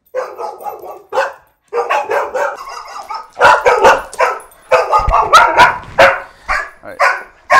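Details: Rough housing domestic dogs bark excessively before the trainer steps in; rapid, irregular volleys of harsh barks, about two per second, with some louder sharp yaps and scuffling thumps midway.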